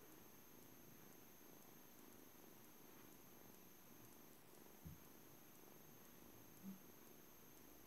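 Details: Juno, a blue British Shorthair boy kitten aged seven weeks at a cattery, gives a soft continuous low purr with a gentle pulsing rhythm; two small bumps break the steady rumble, over a faint constant high hum.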